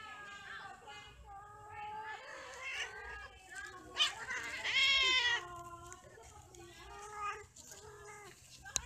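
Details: A series of cat yowls from animals mating and fighting, moaning calls that swell into a loud, harsh, high screech near the middle before settling back into lower wails, with a sharp click at the end.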